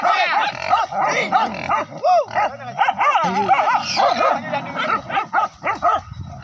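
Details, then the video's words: Pack of village dogs cornering a wild boar during a hunt with dogs and spears; frantic overlapping barks and yelps pouring out nonstop, pitches rising and falling, faint voices underneath. "Sekian Lama Akhirnya Buruan Ratu Babi Hutan Berhasil Di Amankan Oleh 4njing Kampung"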